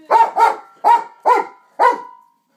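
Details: A dog barking at a glowing LED hula hoop gives five sharp, punchy barks. The first two come close together, then the rest fall at roughly half-second intervals. Each bark has a short ringing tail.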